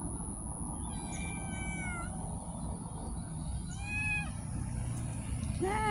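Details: Street cats meowing: two drawn-out, harmonic-rich meows about two seconds apart, the second rising then falling, with a third call starting at the end over a steady low background rumble.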